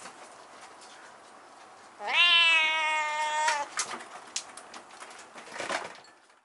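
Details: Indoors, a kitten with a husky voice, up on a high place in the room, lets out a single long, steady meow of about one and a half seconds, followed by clicks and shuffling sounds.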